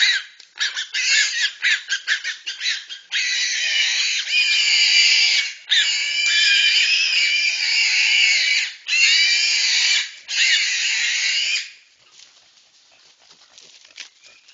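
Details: Babirusas in the Togean Islands working together against a reticulated python. Rapid choppy squeals give way to sustained screaming blocks of about two seconds each, then the calling stops and only faint background rustle remains.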